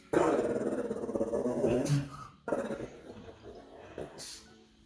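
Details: A pug gives a throaty, rumbling growl at night that fades into softer grunts.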